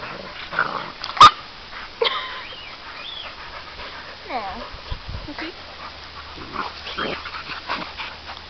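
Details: Several dogs at play, including American Staffordshire terriers, Labradors and a Labrador–Amstaff cross, with sheep in the distance; a loud, sharp yip, then a few falling whines and soft growly scuffles amid rustling and a steady low hum.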